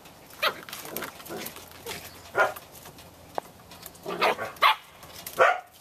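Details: Samoyed puppies at eight and a half weeks, four littermates back on the deck after heavy rain on November 2, 2014. They give scattered short yapping barks, several separate ones with pauses, over a soft noisy background.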